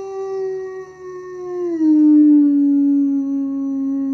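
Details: Howl from German Shepherd puppies after breakfast, 21 January 2022, set off by a person: a long, smooth, mournful tone that steps down in pitch midway and then holds low and steady.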